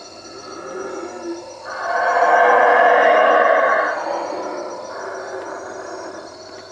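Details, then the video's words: Howler monkeys roar at night from the treetops above a hut at Lake Peten Itza, Guatemala; a deep, rasping roar swells up, holds loud for about two seconds, then fades into a quieter, continuing rumble. "Howler monkeys at night"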